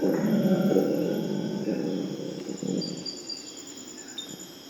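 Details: Purus red howler monkeys in a morning chorus of howls meant to prevent fighting between groups: deep, rough roaring swells and slowly fades over four seconds, with steady high insect buzzing behind.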